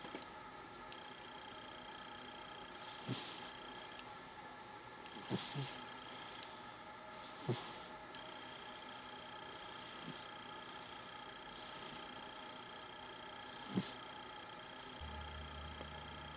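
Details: A cat sleeping and dreaming breathes in a slow, soft snore. About seven hushed, hissing breaths arrive every two seconds, some with a faint low snort, over a constant background hum and a brief low rumble near the end.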